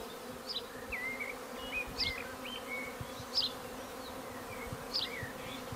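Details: Treatment-free honey bees swarming around a garden hive in May: a steady low droning hum fills the background while small birds chirp and whistle in short bright notes above it.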